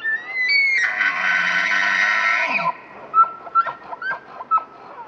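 A bull elk bugles: a high rising whistle breaking into a rough, harsh scream, then short yelping notes.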